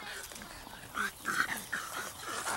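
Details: Toby, a mini Labradoodle, during a game of fetch, gives a few short, high whining whimpers in quick succession, roughly three to four brief tonal notes, while a person calls encouragement nearby.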